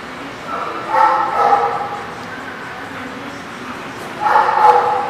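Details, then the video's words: Dog barking at a place called The Barking Lot on 30 March 2019: two short bursts of harsh, mid-pitched barks about three seconds apart, with a low background hum between them. "The Barking Lot"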